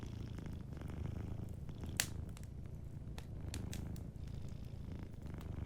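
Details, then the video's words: Soft purring from a sleeping cat, a deep continuous pulsing rumble, with a few scattered fire crackles and one sharp pop near the two-second mark. "Warm Fireplace Ambience with a Sleeping Cat 🐱💤Fireplace & Soft Purring"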